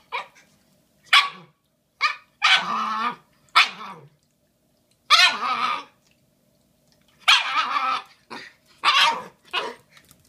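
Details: Shiba Inu puppy Bowie, a female almost five months old, vocalizing over a giant Valentine's Day bone on February 14, 2016: a string of short harmonic yelps and longer strained whines in separate bursts, with quiet gaps between.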